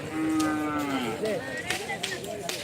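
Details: Cattle at a karapan sapi bull race, a traditional event of Madura in East Java, Indonesia: a long, steady, then gently falling moo, with crowd noise and a man talking behind.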